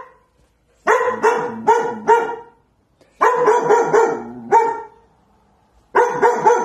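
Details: Scared female pet dog barking in protective mode at a kitchen corner, never having barked before in her four months at home: repeated groups of quick, high, yelping barks separated by short silences.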